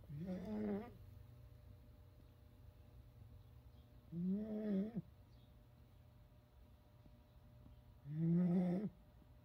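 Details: Pet fox snoring while asleep indoors in a bedroom: three drawn-out, nasal, wavering snores about four seconds apart, with a low steady hum underneath.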